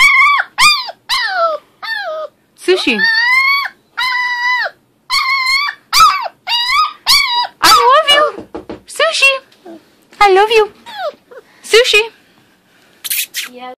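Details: Six-week-old female American Pit Bull Terrier puppy, talkative and vocalising indoors: a rapid series of high, wavering whines and yelps with rising and falling harmonic notes, broken by brief pauses, with a woman's voice talking to her.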